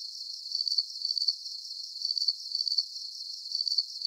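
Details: Crickets chirping in a nighttime nature soundscape, giving short sharp high pulses grouped into brief bursts that repeat rhythmically every half second or so, with a low background buzz of further insects.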